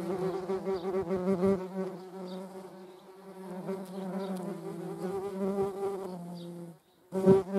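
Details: Flight buzz of median wasps (Dolichovespula media) among honeybees, a continuous deep hum with layered overtones holding steady for several seconds, then a short silence before a loud close pass.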